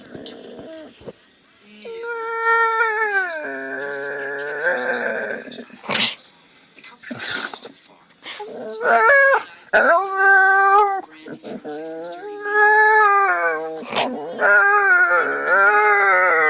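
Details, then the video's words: Sleepy dog making strange noises: long, drawn-out whining howls that waver and bend in pitch, coming in stretched bouts of several seconds with short breaks and a few sharp clicks between them. "Sleepy Dog Makes Strange Noises"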